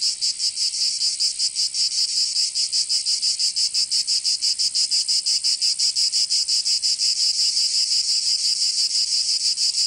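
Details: Cicadas singing in summer in Provence, southern France: a dense, harsh, high buzzing chorus that throbs steadily about three times per second throughout, with no other sounds.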